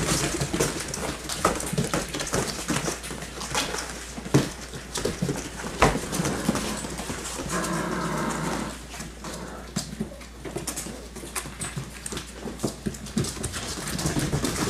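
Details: Six-week-old Labrador Retriever puppies, yellow and black, play-fighting as a litter; steady scrabbling and thumping, with a rasping growl that holds for about a second midway, followed by more scuffles and brief grumbles.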